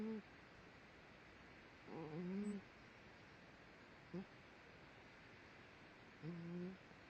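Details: Indoors, Daisy the dog sleeps and snores, possibly dreaming: repeated low humming, slightly rising and falling nasal tones roughly every two to four seconds, one brief short snort between, steady quiet room noise behind.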